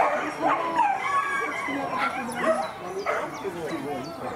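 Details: Female Whippets at racing heats in Lednice, at the Lednice Hare event, give high whining yelps that bend up and down. The yelps repeat roughly every second, with some speech in the background.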